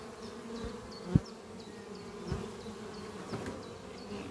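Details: Honey bees, queen and many workers, flying at a horizontal hive built from an old French oak chest under trees on a spring morning, carrying pollen; a steady low droning hum with a few soft thumps and faint repeated high chirps in the background.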